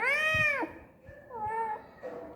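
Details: Pet cat lets out one loud, bright meow that drops at the end, then two shorter, softer mewing sounds; a person chats to it in Tamil nearby.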